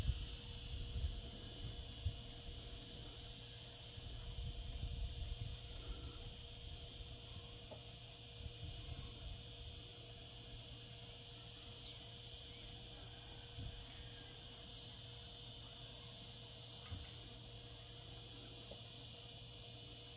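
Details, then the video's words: Long steady cicada chorus in summer: a bright, sizzling, unbroken buzz at constant pitch and volume, with occasional soft low thumps in the background. "Cicada sounds, cicadas singing in summer."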